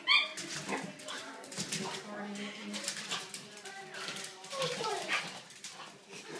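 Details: French Bulldog. A French Bulldog gives a run of drawn-out, wavering whines and throaty grumbles that rise and fall in pitch. Human speech is mixed in around the dog's voice.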